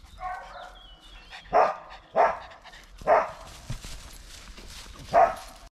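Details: Dog that has found a squirrel gives a run of four loud, abrupt barks over about four seconds, spaced unevenly, with faint whining tones and light background noise before them.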